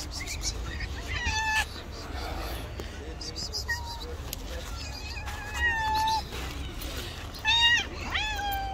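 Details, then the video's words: Rival street cats facing off in a fight, an angry white cat and a tabby, giving drawn-out wavering yowls that rise and fall, several in a row with louder bursts near the end, low background rumble. "Angry White Cat gets slapped by another rival Angry Tabby Cat."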